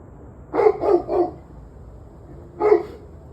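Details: Dog barking recorded 11/21/23, 7:06 pm: a fast burst of three hoarse barks in under a second, a brief gap, then one more bark, with low-level background noise.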